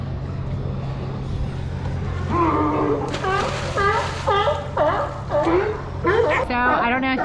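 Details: Crowd of sea lions on the docks at Newport, Oregon coast, giving loud, raspy barks, several a second, some rising and some falling in pitch, over a low engine drone and nearby human voices.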